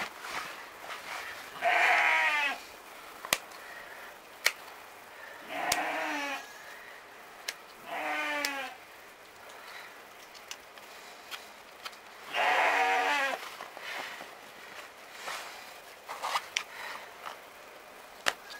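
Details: Romanov sheep bleating during spring hoof trimming in Tver region, Russia, kept mostly in a stall; four loud wavering, quavering bleats about a second long, spaced a few seconds apart, with sharp clicks and knocks of handling between.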